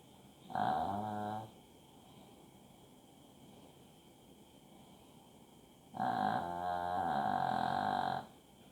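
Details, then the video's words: A sleeping Shih Tzu snoring: two drawn-out, buzzy, harmonic breaths, the first about a second long and the second about two seconds, with a quiet pause between them. "shih tzu snoring"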